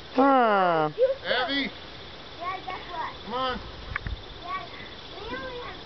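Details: Weimaraner puppies, four left, playing outdoors with their mother; a long high falling whine with clear stacked harmonics opens, followed by shorter arched yelps and whimpers spaced about a second apart, with a person talking and encouraging nearby.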